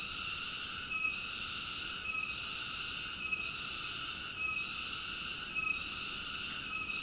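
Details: Continuous high, ringing cicada drone made of layered whistly overtones, broken by short dips roughly every second; nothing else audible.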